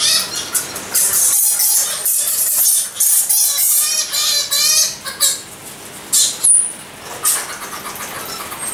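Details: Egyptian fruit bats giving dense, overlapping high-pitched squeals and chattering, rapid wavering trills in bursts with short pauses, a sharp upward squeak near the end.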